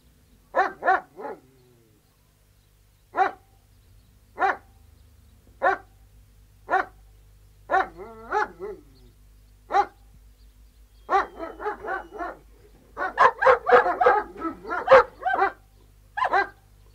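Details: Alsatian guard dogs, three, barking outdoors: isolated sharp barks spaced roughly a second apart, building to a dense, overlapping chorus of several dogs barking together near the end.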